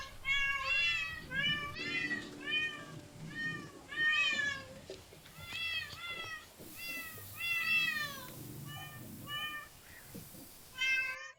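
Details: Repeated cat meows come in clusters of two or three, high and slightly wavering, separated by short breaks, with a muffled low murmur of background noise throughout.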